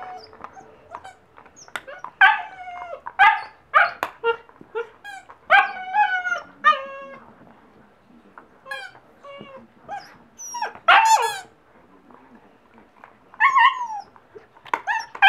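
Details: German Shepherd Husky mix puppy at seven weeks, delighted with a newfound squeaky toy: rapid strings of shrill yelps and squealing whimpers, some sliding downward, with one long piercing squeal near the middle and brief quiet gaps.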